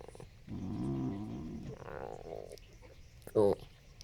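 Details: A 13-year-old Yorkiepoo makes low, wavering grumbling noises, then a higher whine, and ends with one sharp bark.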